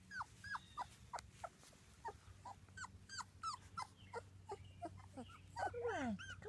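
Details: Two-week-old British Labrador Retriever puppies from a litter of six, crying indoors: a run of short high squeaks and whimpers, irregular, ending in a longer falling whine, with low hum underneath.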